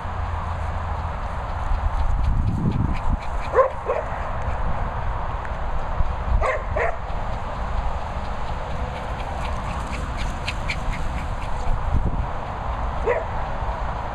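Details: Dogs arguing at a countryside training and boarding kennel in Worcestershire: short sharp barks burst out around a few seconds in, again twice near the middle and once near the end, over a steady low rumbling background.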